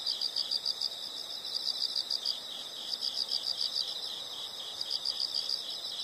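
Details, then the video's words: Steady high insect chirping: quick pulses grouped in short trills that repeat about once a second, continuous over a soft hiss. "the sound of insects"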